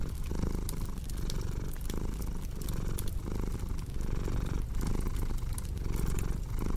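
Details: A cat's low, throaty purr rises and falls in regular breathing cycles under about a second apart, while a crackling fire adds scattered sharp clicks and pops.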